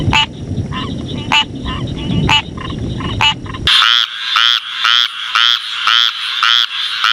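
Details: Frogs calling: sharp clicking notes over a rough, noisy background, then a clear run of buzzy, rattling croaks repeated almost twice a second.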